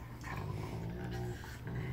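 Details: A huge Rottweiler named Zeus at play with Kiya, a Rottweiler puppy; a low, steady growling rumble runs throughout, with a faint human voice and a brief louder noise at the end.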